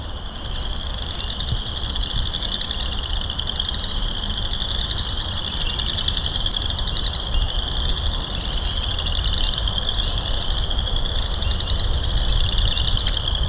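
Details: March frog chorus at Burr Reed Marsh on loop 3 of Morton Arboretum: dense, unbroken high trilling from many frogs, fast pulses, while a heavy low rumble like distant traffic runs throughout.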